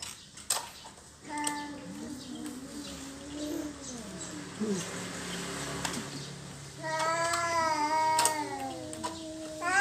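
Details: Cats quarrelling over territory: low wavering growls and moans in the first half, a brief faint voice, then a loud harmonic yowl that rises and wavers toward the end, with scattered knocks in an indoor space.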